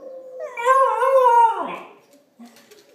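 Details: Pembroke Welsh Corgi puppy, female, howling along with wolf howls played on video, gives a wavering, rising howl that slides downward and fades out.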